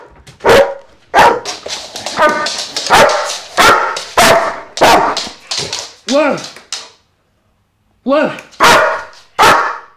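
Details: Vito, a dog with a loud bark, gives a run of sharp barks about one and a half per second, some with rising yelping tones, pausing briefly before two final barks; a voice is heard in the background.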